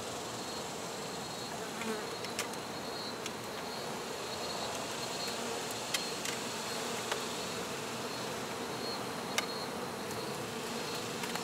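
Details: A dense, steady hum of many honey bees during a hive removal, with occasional sharp clicks and taps.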